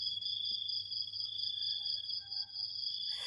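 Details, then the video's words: Crickets trilling in the morning, a constant piercing high buzz layered in two tight pitches with a faint lower whine. It runs unbroken to a brief rustle at the very end. "ฟังเสียงหรีดหริ่งเรไร ยามเช้าๆ"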